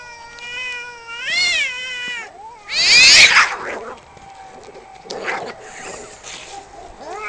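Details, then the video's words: Two male cats fighting over territory outside a home, one holding a long wavering yowl that swells and bends, then a harsh loud screech burst, followed by quieter growling moans. "Two cats fighting and making wierd noises"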